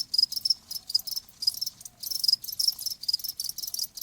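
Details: Cricket song comes in short, shrill, rapidly pulsed chirps, packed closely together in an uneven rhythm. A soft low murmur sits underneath.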